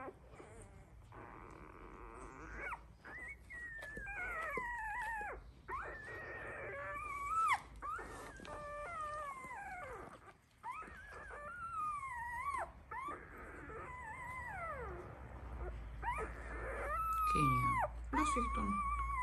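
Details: Labrador Retriever puppies, one week old, whimper and squeak almost continuously: wavering, bending whines rising and falling, some drawn out, some short, with faint human voices and a low background rumble.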